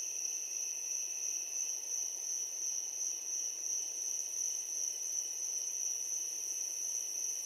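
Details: Crickets chirping in darkness, a sustained sharp high trill steady from start to end, with a quieter upper overtone band and soft hiss, no other animals or voices.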